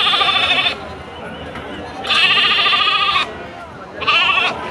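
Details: Sheep or goats bleating at the weekly Monday sheep and goat market in Pavagada: three loud, wavering bleats, each under a second, with men bargaining over prices close by.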